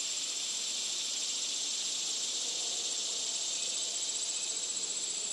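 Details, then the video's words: Cicadas calling: a loud, steady, high-pitched hiss that fills the whole stretch without a break, with a thin, shrill ringing tone held on top. "Listen to the sounds of the Cicadas"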